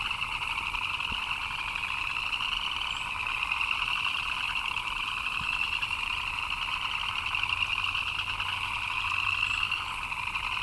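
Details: Many frogs chirp together during rain, forming a constant trilling wall of sound in two pitch layers, with brief sharper high notes popping out now and then above the steady chorus.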